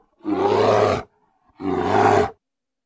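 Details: Grizzly bear giving two loud, rough roars, each under a second long, harsh and broad with a low growling base, separated by a short silence; nothing else audible.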